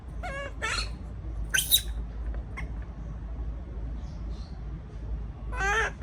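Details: A baby monkey left alone in a cage cries in short, tonal, wavering, breaking bursts, distress calls at being alone, with a pause of several seconds before the last cries, over a low steady hum.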